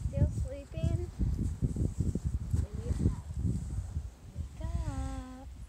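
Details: Five-week-old Small Munsterlander puppies from Jig's litter at Gosch Kennels: short high wavering whines early on, then a longer drawn-out whine sliding downward near the end, over busy thumping of small feet and scuffling.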